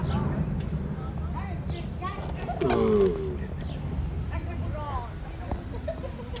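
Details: A mating giant tortoise lets out a single rasping, falling moan lasting roughly half a second midway through, while faint chirps and low rumbling background noise continue throughout.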